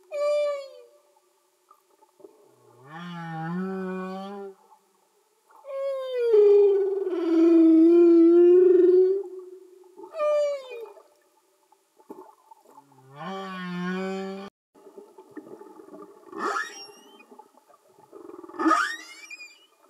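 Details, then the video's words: Singing male humpback whales recorded underwater: long tonal moans and rising whoops with rich harmonics, alternating low growling units and higher wavering cries, separated by short pauses, with faint upsweeping squeals near the end. "Amazing singing Humpback Whales"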